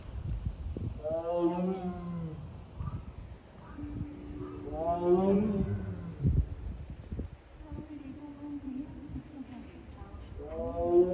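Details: Captive Siberian tiger at Seoul Grand Park on 20 February 2022, kept apart from its sibling and crying repeatedly; three drawn-out harmonic moans about four seconds apart, with a steady low hum and faint voices of people in between.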